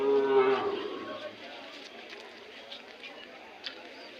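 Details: Hallikar cattle at the weekly Monday cattle fair at KG Temple, Gubbi taluk, Tumkur district: one strong, steady, low moo lasting about a second, then the busy hum of market crowd voices.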